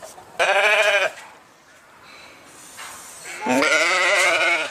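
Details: Two strong sheep bleats: a shaky, nasal call of about half a second, a quiet pause, then a longer tremulous bleat that falls slightly at the end.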